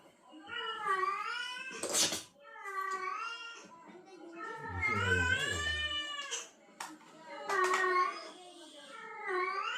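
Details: Female cat in heat reacting to a calling male; repeated long, bending yowls with strong harmonics, a sharp broadband hiss-like burst near two seconds, and a low rumbling thump in the middle.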